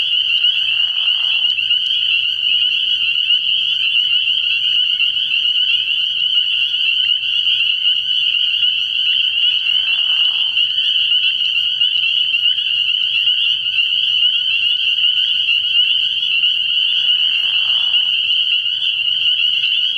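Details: Early-year night recording from a frog pond full of spring peepers: a constant shrill chorus of overlapping high peeps, broken three times by brief, lower, rougher bursts of sound roughly every eight seconds.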